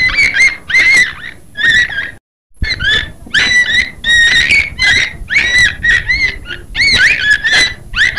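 Beluga whale giving rapid, squeaky whistles and chirps in quick, overlapping bursts.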